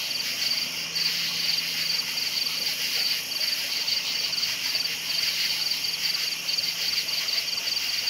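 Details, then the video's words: Crickets at night giving steady, thin, high chirps in fast rhythmic pulses, many individuals blending into one unbroken shimmering chorus with a faint low hum beneath. "Night Sounds Crickets Chirping"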